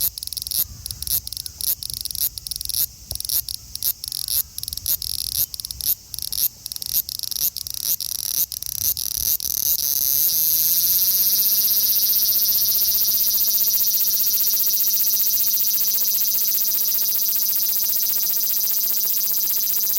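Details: Male large brown cicada (Graptopsaltria nigrofuscata), Osaka, Japan, 5 August 2019: pulsed sizzling for about ten seconds, then merging into one continuous loud drone with a steady low hum underneath.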